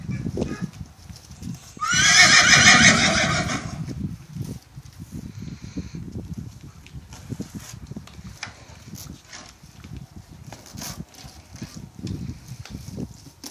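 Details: Tennessee Walking Horse in a stall beside a Welsh pony, sharing a corn cob treat through the stall wall; a loud harmonic whinny of about two seconds, shaky and falling, then quieter shuffling, rustling and faint stable noises.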